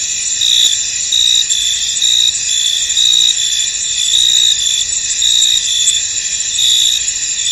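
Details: Crickets chirping in a misty field, a bright, piercing stridulation that holds steady while clustered louder trills recur about every second.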